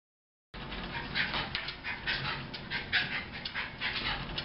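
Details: Sookie, an energetic Jack Russell Terrier at the Thunder Bay Veterinary Hospital, whimpers in quick, breathy pulses, about four each second, over steady room noise.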